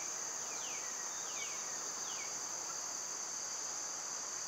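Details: High, ceaseless cicada buzz of a summer day, joined by several sharp downslurred bird whistles in quick succession early on.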